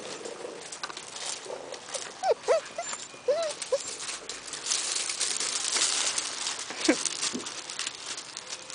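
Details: A litter of blue nose Razor's Edge pit bull puppies playing in a yard outside, mother and older sister nearby: several brief high squeaky whines and yips in a cluster midway, among scuffling, rustling play noise and a few spoken words.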